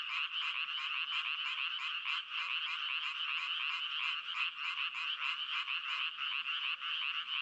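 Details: Frog croaking without a break: dense, rapid rasping pulses packed together in a steady chorus-like stream, bright and buzzy, with faint low clicks underneath and no other sounds.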